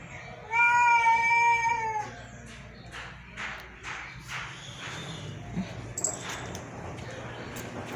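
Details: Domestic cats at home while eating rice give one steady, drawn-out meow of about a second and a half, rich in overtones. Softer rustling, clicks and household noise follow.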